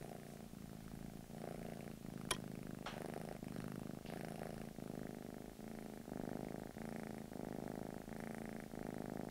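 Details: A British Shorthair cat in England purrs steadily, a low continuous rumble that swells and eases with each breath.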